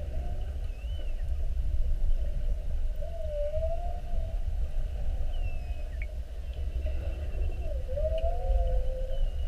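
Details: Several whales circling a whale-watch boat during a classic mugging, 21 February 2019, recorded underwater: soft, wavering mid-pitched moans come and go, with a faint higher squeal, over a constant low rumble.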